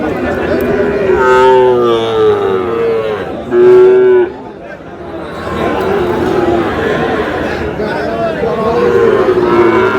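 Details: Sahiwal bull calves for sale at the start of market day at Aftabganj cattle market, Dinajpur, Bangladesh, on 8 August; one short, loud, low moo rises above steady crowd chatter and bargaining voices.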